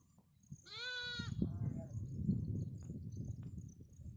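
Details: Lamb calling its mother with a single loud, wavering bleat lasting about half a second, followed by low rustling and shuffling noise.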